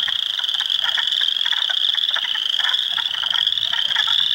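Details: Spring frog chorus in an Ontario swamp at Heartland Forest, April 2, 2022, mixing Spring Peepers, Wood Frogs and Eastern Chorus Frogs. Unbroken shrill peeping is layered with short, rattling bursts that repeat several times a second.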